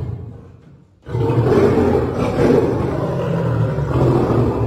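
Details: One of a caged pair of three-year-old lions at Paragpur Zoo, Himachal Pradesh, brought in an animal exchange, gives a deep, rumbling roar that bursts out after a moment of quiet and carries on heavily.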